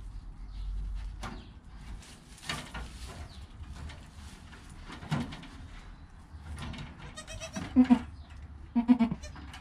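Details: Newborn goat kid in its first hour, with its calm mother: mostly rustling and shuffling, then short, low, pulsing bleats near the end, some quivering and soft.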